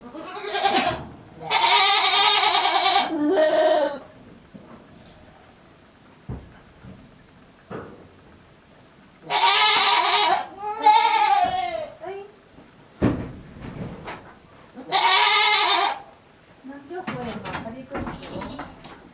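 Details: Male goat on a small handmade goat farm, recorded 7 December 2022, calling in an unusual voice: loud, harsh, raspy bleats with rough broad noise, given in repeated bursts of about one second separated by quiet gaps.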